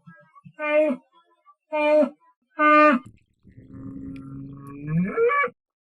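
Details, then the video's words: Three short, nasal harmonic calls spaced about a second apart precede a sustained deep bull bellow that swells and bends upward into a higher cry at the end. "SOM DE TOURO"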